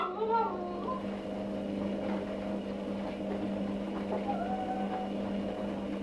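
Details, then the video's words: Jack, a one-and-a-half-year-old Cavalier King Charles Spaniel, cries indoors for Emma, a female in heat living downstairs. A high wavering whine rises and falls at the start, and a softer whine follows near four seconds over a steady electrical hum. "Cavalier King Charles Spaniel Jack 1 1/2 Y. crying"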